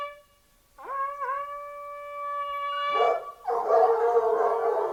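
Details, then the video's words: Fox hunting hounds with hunting horns: a long steady horn note sounds first, then a pack of hounds breaks into dense, overlapping baying in the last seconds. "Fox hunting hounds singing"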